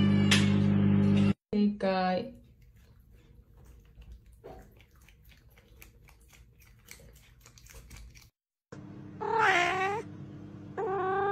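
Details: Domestic cats and kittens in a compilation of funny moments. Several short, arched, tonal meows rise and fall in pitch, mostly near the start and end. Abrupt cuts, near-silent stretches and a louder opening burst of other noise sit between them.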